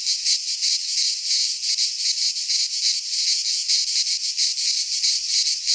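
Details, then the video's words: Greek pine-forest cicadas in midsummer give a loud rasping, sizzling buzz that swells and fades in quick regular beats, roughly three per second, with nothing else heard. "Cicadas singing in midsummer - Nature sounds from the Greek fauna - Sounds of cicadas"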